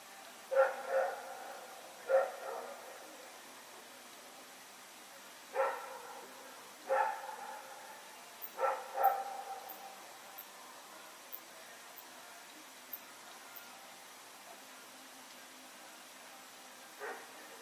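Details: Barking at night from Rex, a dog running around, recorded 21 September 2018: a quick cluster of loud barks early, then scattered fainter yips and one last bark near the end.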